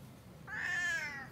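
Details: Cat showing unusual behaviour gives a single drawn-out meow lasting under a second, steady and slightly falling at the end, in a quiet indoor setting.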